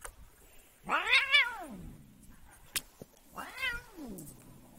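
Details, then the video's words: Domestic cat being annoyed, giving two drawn-out complaining meows: a loud rising-then-falling wail near one second, a sharp click, then a second softer arched meow about two and a half seconds later, in a quiet setting. "Annoying the cat"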